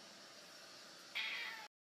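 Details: Persian cat angrily awaiting food gives one short, high, tonal meow lasting about half a second, right after a person asks if it is hungry; a faint steady indoor hum is heard before it.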